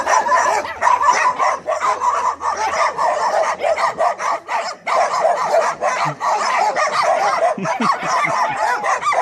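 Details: Staffordshire Terrier dogs keep up rapid, clustered barking mixed with shrill yips, a near-continuous volley with only brief gaps.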